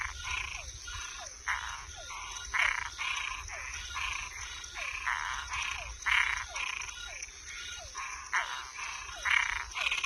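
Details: Nocturnal frog chorus of toads and tree frogs: dense, overlapping raspy croaks come several per second from multiple callers, punctuated by small descending chirps, over a continuous high, thin drone.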